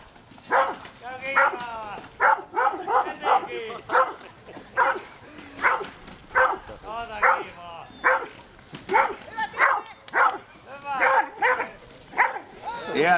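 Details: German Wirehaired Pointer barking repeatedly at a mechanical bear at the Koria wilderness fair, Finland, 2011, on its second encounter after a few hours' break; loud, harmonic barks come in irregular bursts under continuous Finnish commentary from a man.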